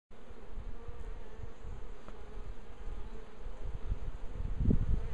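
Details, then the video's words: A bee swarm gathered on a tree, giving a steady, droning hum with a faint mid-pitched tone, under heavy low rumbling bursts that grow louder near the end. "Rój pszczół na drzewie"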